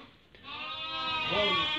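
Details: A single drawn-out, rising and strengthening bleat from a Merino sheep in a flock being sold from Hungary to a buyer from Türkiye, after a short quiet start.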